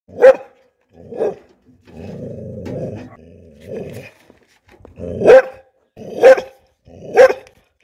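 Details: A mixed-breed bull terrier barks angrily, giving sharp, deep barks about once a second with a low growl between them.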